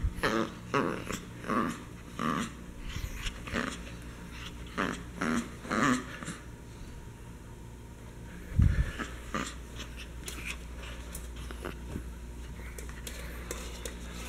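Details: Merle Chihuahua playing with a favorite toy skunk indoors, giving repeated short low growls and huffs roughly every second, with a thump midway and steady background hum.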